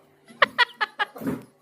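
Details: Labrador Retriever named Golden, frightened when dad picked up a stick, indoors: four short, high, whining yelps about a fifth of a second apart, then a softer breathy note, with a person coaxing nearby.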